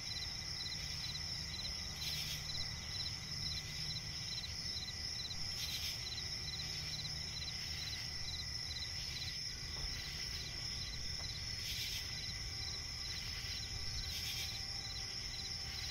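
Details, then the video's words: Steady cricket chirping in a night-time swamp forest: pulsed trills repeat at a quick, regular pace against an unbroken high whine, with intermittent hissing bursts and a constant low hum. "cricket chirping relaxing sound in night forest"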